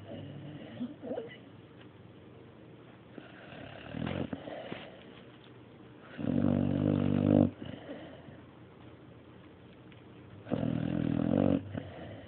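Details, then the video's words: Mario, a dog, snoring indoors: three rough, buzzy snore breaths, each about a second long, separated by several seconds of quiet low breathing. "Mario snoring III"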